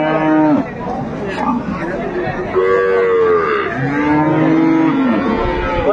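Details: Lowing at Ambari haat cattle market, Dinajpur, where improved-breed dairy cows and calves are sold, 25/8/25: three separate moos, a short one ending in a downward slide, then a higher call, then a long steady one, amid market talk.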